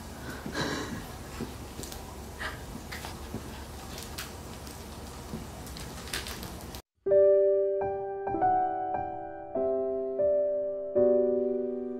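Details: Rustling and knocking indoors for about seven seconds, then a brief silence and a piano cover of the Nyan Cat theme playing a bright melody of sustained notes.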